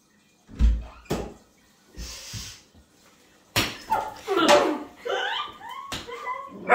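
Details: A Weimaraner puppy, deliberately startled by its owner, gives high yelps and whines after a few dull thumps.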